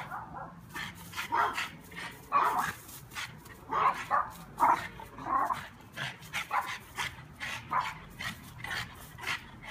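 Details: A dog chasing bees in a yard, barking in short sharp bursts about twice a second, some barks fuller and louder than others, with faint background noise throughout.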